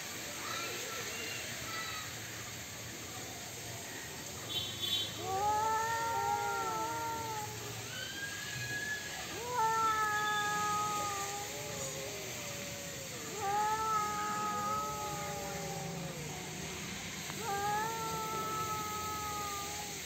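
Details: Domestic cats fighting: long, wavering, harmonic yowls rising and falling in pitch, arriving in drawn-out bouts roughly every four to five seconds, with a steady background hiss throughout.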